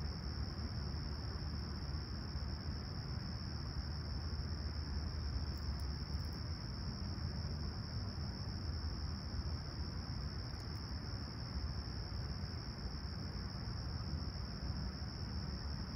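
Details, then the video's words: Crickets chirping at sunrise on a clear, calm summer morning at Toronto's Humber Bay Shores, July 28, 2020, 20ºC. A steady, unbroken high-pitched trill runs throughout over a constant low rumble of distant traffic. "Serene Summer Toronto Morning With Chirping Crickets"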